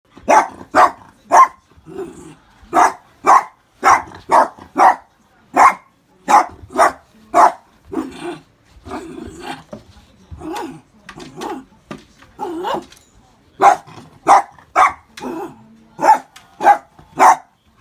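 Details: Miniature Dachshund indoors, barking at an unfamiliar orange juice cup as if fighting it: sharp barks in quick pairs and runs with soft growls in the gaps, kept up steadily.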